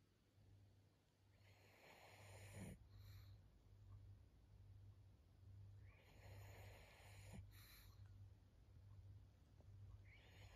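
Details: Maria, a fourteen-year-old fawn female senior pug in Japan, snoring softly: two long breathy, rasping exhalations several seconds apart over a steady low electrical hum.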